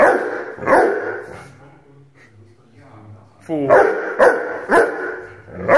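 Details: An 8-month-old Rhodesian Ridgeback puppy gives a single loud bark, then there is a quieter stretch with low tonal sounds, followed by a rapid series of four more rough barks.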